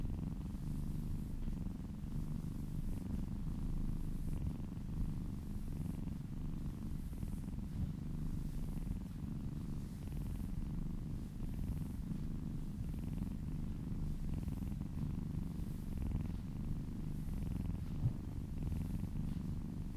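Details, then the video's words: Contented domestic cat purring under a gentle massage, steady low rumbling purr with soft rhythmic breathing cycles, faint hiss of hand strokes above it. "Purring kittens ASMR"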